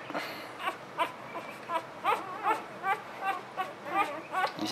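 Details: Newborn puppies cry in a steady run of short, rising-falling squeals, roughly two or three each second, growing louder toward the end, while a person speaks softly nearby.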